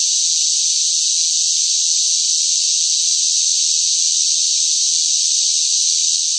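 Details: Loud cicadas singing in the hot summer heat: a steady, unbroken high-pitched buzzing hiss that holds at the same level throughout, with no pauses and no other sounds.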